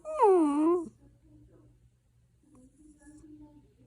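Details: A sleepy puppy fusses indoors, giving one clear, tonal whine under a second long that starts high and slides down, then lifts slightly at the end. Faint low murmurs follow in a quiet room.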